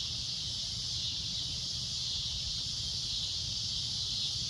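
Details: At sunset, a cicada's loud, shrill drone holds steady and unbroken, a high hissing buzz with no pauses.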